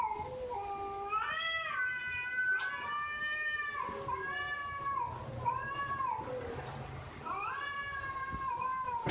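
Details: Pet cat meowing repeatedly, about six distinct meows in nine seconds, each rising then falling in an arched contour, some short and some drawn out, with a few faint clicks in a small room.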